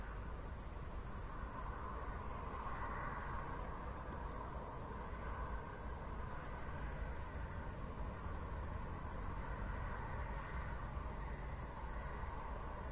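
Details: Crickets keep up an unbroken high pulsing trill on a night walk in Zwettl, Austria, after a thunderstorm. A low, steady rumble lies underneath, with faint mid-pitched murmurs.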